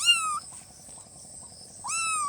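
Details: Newborn kitten meows: a high, thin cry at the start and another rising cry near the end, separated by a quiet pause with faint background hum.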